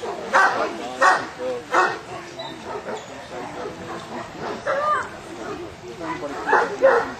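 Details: Harry Potter, a Newfoundland dog taking a water test at choppy Lake Bala in Wales, gives three quick barks, pauses, then barks again in an uneven series over steady wind and water noise.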